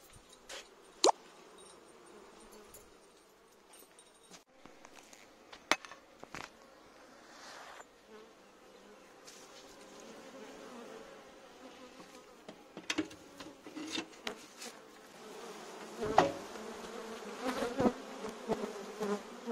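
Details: Bees swarming in a courtyard they have invaded; a low, steady droning hum runs under frequent sharp clicks and knocks, with the buzzing growing denser and louder toward the end.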